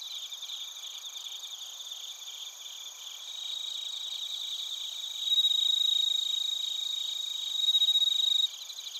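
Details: Crickets and bell crickets in Narita, Chiba, Japan, via TASCAM Portacapture X8: a fast pulsed high trill over a constant insect chorus, with a nearer caller growing louder in two bursts late on.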